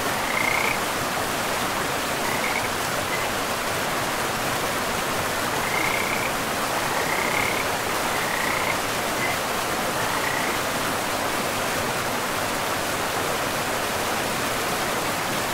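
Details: Frogs by a river in a pristine forest give short high trills in scattered bursts every second or two, half buried under a steady rushing wash of flowing water.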